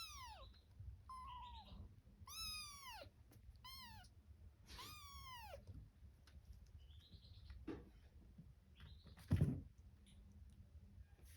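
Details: Domestic cat and kittens, Kitto's family, giving clear bright mews: several long arched cries with rich overtones in the first five seconds, then fainter short calls and a sharp knock over a quiet indoor hum.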